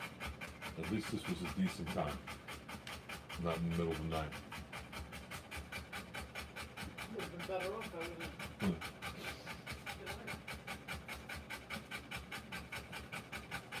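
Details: A Rottweiler in labour, delivering puppies, pants quickly and continuously at about two and a half breaths per second; people speak at intervals, briefly covering the breathing.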